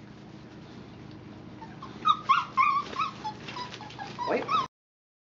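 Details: Puppies four weeks and four days old, with mother Mama Valentine and brother Hoyt, on an afternoon of March 18, 2013; after two quiet seconds come squeaky high whimpers and short yips in quick irregular bursts, then an abrupt stop.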